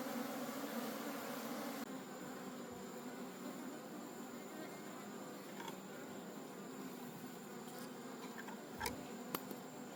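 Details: Wild honey bee colony in a forest, disturbed during a honey harvest as the whole colony is taken home: a dense, continuous low humming drone, steady throughout, with a sharp break early on and a few brief clicks near the end.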